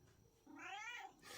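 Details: Domestic cat uttering a short, bright meow likened to saying "no", sliding up and down over about half a second, indoors with faint room noise.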